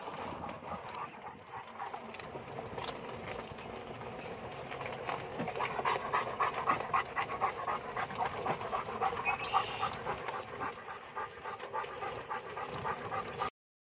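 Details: Central Asian Shepherd dog on a diet panting steadily, rapid breathy puffs repeating several times a second for over ten seconds, with faint higher whine-like tones midway and quiet indoor background.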